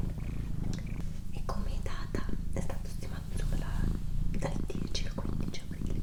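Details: Pet female cat purring indoors, a continuous low vibrating rumble beneath frequent soft whispering from a person, with small clicks and rustles scattered across the recording.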